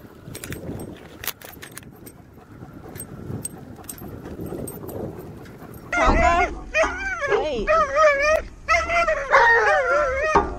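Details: Tonka, an Alaskan Malamute, excited while playing with old friends he had not seen for about a year: six seconds of scuffling rumble, then a run of high, wavering whines and yowls with short breaks between them.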